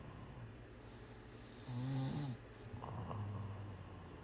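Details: A cat asleep gives two short, low rumbling snores about a second apart, each a brief throaty drone, set against constant faint hiss.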